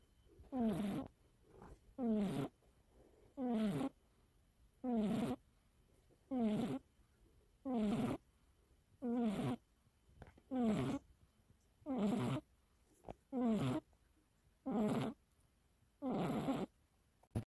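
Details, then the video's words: Joey, the youngest house cat, asleep and snoring loudly; strong raspy snores come in a steady rhythm, about twelve over seventeen seconds, each a short grating burst with quiet pauses between in a still indoor room. "코골이고양이도 코를 고나요?Do cats snore, too?猫もいびきをかきますか？"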